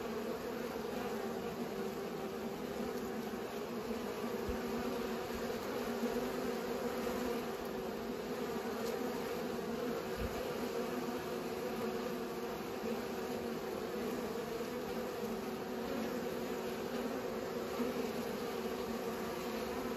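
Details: Constant humming buzz of pollinating bees, a full, steady drone with layered tones, interrupted only by a few faint low knocks.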